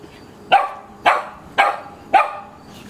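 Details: Two playful dogs, cousins Bobby and Mimi, one and a half years old, romping in a backyard; four sharp barks spaced about half a second apart, even and loud, over a quiet background.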